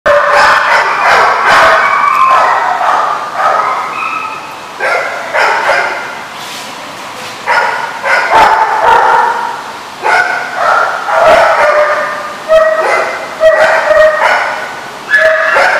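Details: Several dogs barking together on 7/3/15 in a busy, overlapping chorus of sharp barks and higher yips, with calls from different dogs following each other rapidly over the whole stretch.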